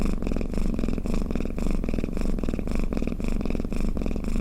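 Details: Domestic cat purring or snoring up close: a loud, continuous low rumble that pulses rhythmically with each breath, about twice a second, with no other sounds.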